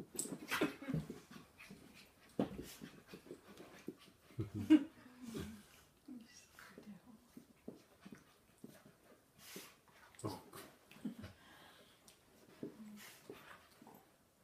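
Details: Polish Lowland Sheepdogs, an older dog and a nine-week-old puppy, being soppy together indoors; short whimpers and whiny murmurs scattered through, with breathing, snuffles and rustling between them, and a few louder yelps around the middle.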